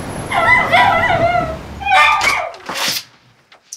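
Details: An anxious, epileptic Miniature Schnauzer at home, vocal as a visitor arrives, gives two long, high, wavering whining barks, then a burst of sharper noise; a person's voice and door sounds are nearby.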